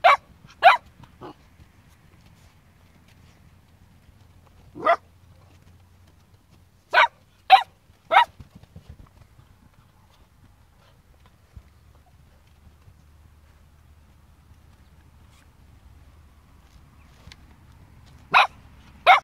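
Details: Blue roan and black-and-white Cocker Spaniel puppies give short, sharp barks in scattered bursts against a quiet background.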